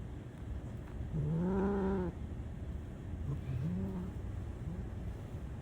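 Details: Black cat giving one drawn-out, low, steady meow about a second long, followed after a pause by a shorter, rising meow; a person says "Let's go" nearby over a low background rumble.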